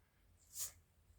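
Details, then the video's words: Chiroru, a female Maltese x Shih Tzu (Maltese father, Shih Tzu mother) born 22 July 2017, sneezes once indoors. The sneeze is a single sharp, hissing burst lasting about a quarter second and rising to a peak before fading into quiet room tone. "マルシーズー ちろる くしゃみ"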